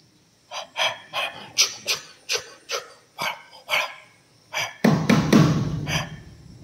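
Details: Bruno, an eight-month-old Rottweiler, barking in a steady run of about ten sharp, rough barks roughly every half second, ending in a denser, louder burst of overlapping barks with faint background music.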